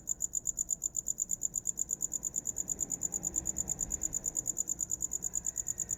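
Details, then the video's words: High-pitched cricket chirps pulse rapidly and evenly, roughly three per second, forming a continuous ringing rhythm over a soft low background hum. "Som de grilo para dormir"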